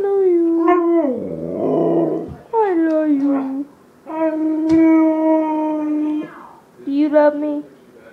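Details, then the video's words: Siberian husky 'talking' in a series of drawn-out, tonal howl-like phrases with bending pitch, broken by a gravelly growl-like stretch, ending in short wavering yips. "Husky talking."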